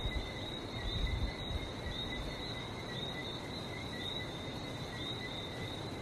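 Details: Frogs in Barbados fill the night air with ceaseless high, thin whistling notes in two overlapping bands, beneath which runs a steady low rumble, louder at the start.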